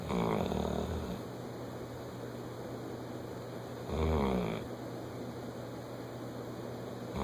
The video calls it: Lucy the bloodhound snoring